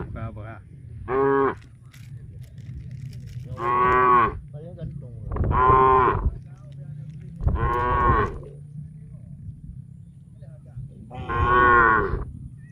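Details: Tame cattle in a big herd heading to a grassy field to graze, giving a run of overlapping moos, six strong drawn-out bellows with rich harmonics, some back to back, above steady low herd noise.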